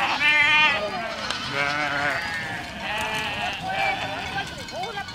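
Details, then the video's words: Herd of goats walking through a village, opening with a strong vibrating bleat, followed by repeated wavering calls from multiple goats overlapping steadily to the end. "Efeito sonoro de rebanho de cabras caminhando por uma aldeia"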